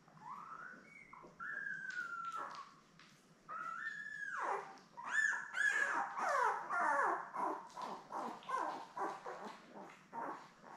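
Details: Labrador Retriever litter of seven puppies born May 24, 2021, filmed with mother Belle on a June 3 live puppy cam. Long, drawn, falling cries give way to rapid, repeated yelping whimpers that rise and fall.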